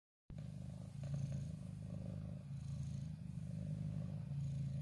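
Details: Ginger cat named Wongfield, settled in a favourite corner and reacting to the camera up close: a steady low rumbling purr, continuous with slight pulsing, a few soft rustles, no other voices.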